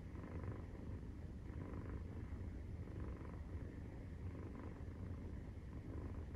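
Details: Maine Coon cat purring while nursing, 43 days after birth; deep steady rumble pulsing gently with each breath, roughly every one to two seconds, and no other sounds.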